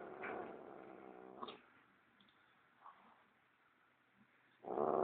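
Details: Gigi the cat, worked up over her sock, gives a low harmonic growl for about a second and a half, then goes quiet apart from faint rustles, before a loud burst of sound at the end.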